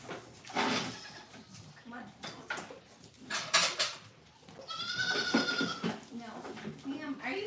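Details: Goats at a farm during morning milking, with young kids around the milking stand; a drawn-out, harmonic bleat sounds midway, surrounded by a woman talking, clatter and brief music.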